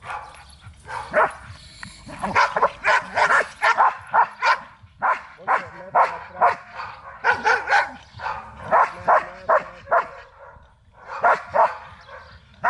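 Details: Barking Belgian Malinois in a training session at Zumpango, State of Mexico: a steady run of loud, sharp barks, several per second in groups, with brief gaps near the middle and end.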